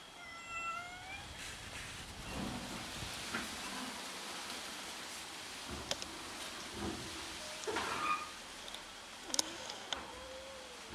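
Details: Domestic cats fighting each other over food; a drawn-out harmonic meow opens, falling and fading over about a second and a half, followed by scuffling, rustling and scattered clicks.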